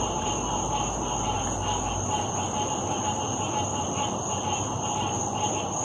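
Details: A dense frog chorus at a lake on 16 August 2018, many overlapping steady trills merging into a continuous shimmering drone: frog.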